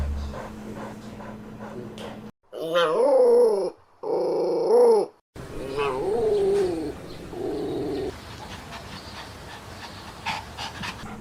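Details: Puppies at play, among Pomeranian, Chihuahua, Maltipoo, Poodle and Bichon Frisé breeds, make drawn-out whining cries, rising then falling, in cut-together bursts over a hissy, noisy background.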